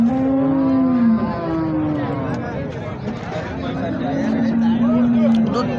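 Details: Holstein Friesian (HF) cows at the Sangola cattle market in India: a long, steady low moo, a second shorter one, then a drawn-out bellow after a pause, over the chatter of people bargaining and passing vehicle noise.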